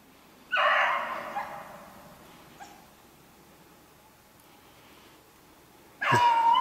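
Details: Distant Beagles pursuing a snowshoe hare that is making them work for it, 3/8/16: one short burst of bawling barks, then quiet, then another burst.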